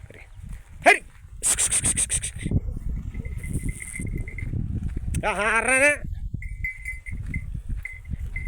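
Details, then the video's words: A goat eating millet in an Indian village gives one wavering, quavering bleat lasting about a second. People talk around it, with a sharp click and rasping, buzzy bursts of noise. "बकरी बाजरी खात होती"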